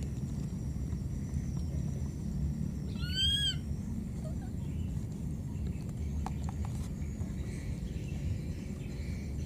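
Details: A lost baby monkey in the wild keeps calling for its mother, giving a single bright cry with stacked harmonics that swoops upward and then levels off. Faint clicks follow, and a constant low outdoor drone sits underneath.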